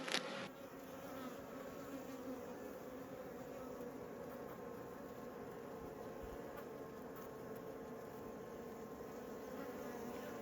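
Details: Honey bees in an open hive during an apiary inspection, the queen in view on a busy frame: a steady, even drone of many wings holds through the whole stretch, with faint handling noise at the start.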